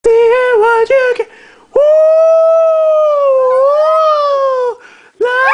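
A Shih Tzu gives a drawn-out howl, steady at first, then dipping and rising again in a sing-song wail. Short yips come before it, and a fresh howl starts at the end in a small, quiet room.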